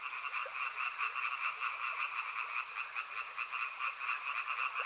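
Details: River frogs in full chorus, many overlapping voices producing a continuous rattling trill in two high bands, with quick pulsed croaks repeating roughly every half second and a few lower clicks.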